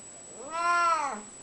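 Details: An unwell male domestic cat known for talking, coming around to chat indoors, gives one drawn-out meow that rises and then falls, with a soft tail-off at the end.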